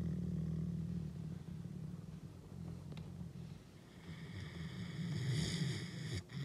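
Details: Deep rumbling growl from Akela, a Canadian wolf, recorded on his birthday, 16 April, while asserting dominance. The low, throaty vibration runs almost unbroken, dips slightly midway, then grows harsher and louder toward the end.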